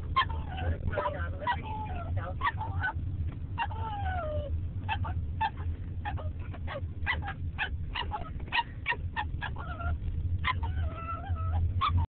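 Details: Casper, a pet dog howling while yawning during a car ride, protests the vehicle slowing down: a rapid string of sharp yips and brief broken howls, one longer descending wail near the start, all over constant road rumble captured by phone.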